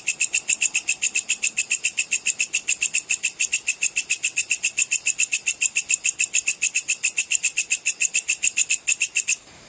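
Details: Bush cricket calling nonstop, a sound played to train competition songbirds: evenly spaced rasping high-pitched pulses, nearly four per second, running for about nine seconds before stopping abruptly.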